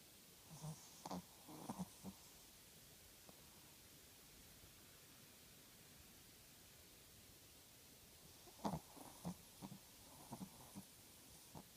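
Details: Chihuahua puppy snoring in its sleep: two clusters of short snuffling snores with soft squeaky breaths near the start and again after a long quiet stretch of steady background hiss.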